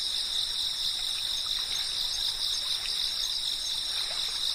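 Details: Cicada. Cicadas fill the air with a constant, shrill buzzing that holds unbroken at a high pitch, several voices stacked together. Faint soft trickling beneath suggests running water nearby.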